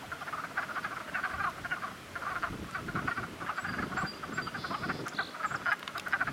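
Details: Frogs massed in a spring cluster, croaking in a steady overlapping chorus of fast, buzzy mid-pitched pulses, with faint high chirps in the background.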